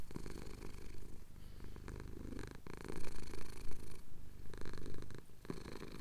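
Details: Close, loud purr of a male cat being scratched under the chin during a Cotswold sunrise, recorded on a Tascam DR-07X; a low vibrating drone that grows stronger and more pulsing in the second half.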